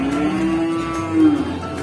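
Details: Pegon cattle at the Winongkidul cattle market: a single drawn-out, level lowing note that rises slightly and holds for over a second before fading, with faint background murmur.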